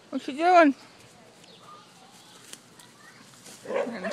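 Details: German Shepherd playing outdoors on a hot day, giving one loud tonal yelp with rich harmonics that rises and falls in under a second near the start, then quiet yard ambience and a person's voice toward the end.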